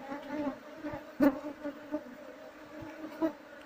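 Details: Colony of wild Apis cerana honey bees, stated to be fierce and quick to sting, while their hive is harvested; an unbroken two-toned drone runs under scattered clicks and a loud knock just past one second.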